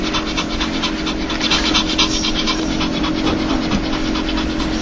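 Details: Dog's 'laugh' sound made when happy or joyful: rapid, breathy panting huffs, soft and rhythmic, about two per second, over a steady low electrical hum.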